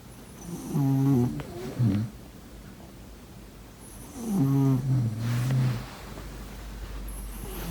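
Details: Snoring pet cat during sleep: two groups of low, vibrating snores roughly three seconds apart, each a gravelly rumble falling in pitch, followed by soft airy exhalations in a quiet room.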